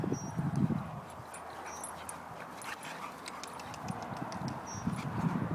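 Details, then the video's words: Boxer dog Roxy at play with her brother Toby: low, rough growling bursts at the start and again near the end, quieter scuffling noise between, with faint high electronic beeps above. "boxer dogs fighting"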